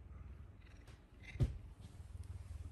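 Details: Pet puma named Messi, affectionate in the morning and licking, gives a low, steady pulsing purr with a soft rhythmic throb. A brief knock sounds midway; a woman's voice is heard nearby.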